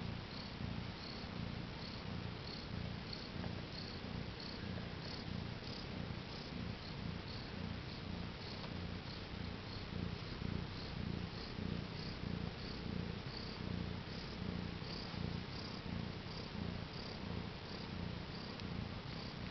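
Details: Newly delivered mother cat with four kittens, born April 22, 2010 near 10am CET, purring loudly: a deep, even rumble throbbing steadily, with faint high ticking sounds repeated in the background.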